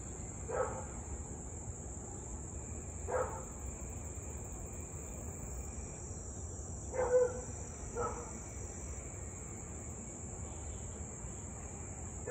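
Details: Siberian Husky barking in the evening of 8/3/2021 at 6:24pm near Louisville, part of nearly 30 minutes of nuisance barking: distant single barks roughly every two to four seconds under a steady high drone of crickets.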